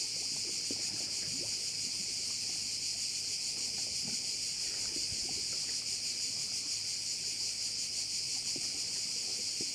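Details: Sound of crickets over a Korčula bay: an unbroken, even, piercing buzz with faint rhythmic pulsation, and light scattered clicks and rustles in the lower background.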